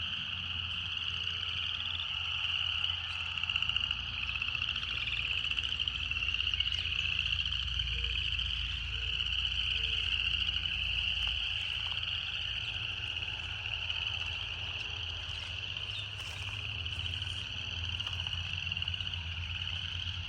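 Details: A continuous, high buzzing chorus of cicadas that wavers slightly in pitch but never stops, over low background rumble with a few brief soft tonal notes early on.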